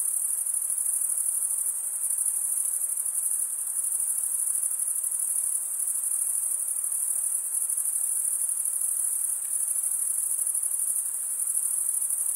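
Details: Crickets stridulating, a high, shimmering continuous trill held steady throughout with fine rapid pulsing, no gaps, a faint soft hiss beneath and no other animals.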